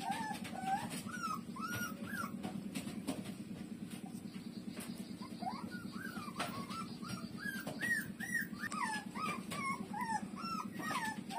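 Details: Nursing puppy Lulu suckling at its mother, giving thin arched whimpers in quick bursts. Brief quieter gaps separate the runs, and a constant low throbbing drone runs underneath.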